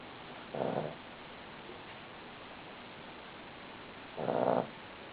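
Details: Sleeping Cavalier King Charles Spaniel named Buddy snoring, two brief rough snorts about three and a half seconds apart, with a quiet steady background between them.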